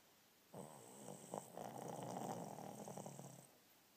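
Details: Alice, a female Shih Tzu rescued from a puppy farm, snoring while napping: one long rasping snore of about three seconds, breathy and broad, with a steady high whine above it in a quiet room.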